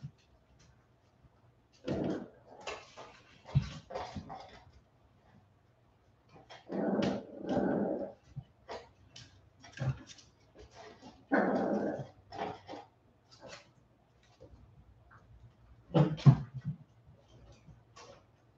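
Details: Several 47-day-old Westie puppies after an outdoor break: bouts of rough, buzzy growling last a second or so each, separated by silences, with scattered taps and scuffs between them.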